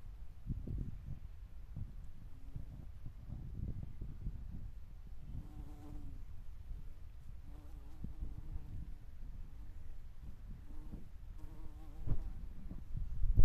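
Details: A western honey bee collects from flower to flower, its low, steady wing buzz coming and going as it flies close by.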